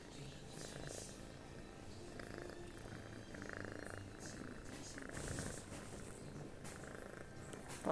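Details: Pet cat named Toto asleep and snoring like a tired worker: a soft, rhythmic low rumble with breathy pulses, over faint indoor noise and a few murmured words.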